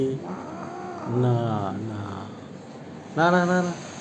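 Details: Injured cat after a fall from the seventh floor, giving a drawn-out, low, wavering moan-like meow, a pause, then a shorter, louder harmonic wail near the end, over faint background hum.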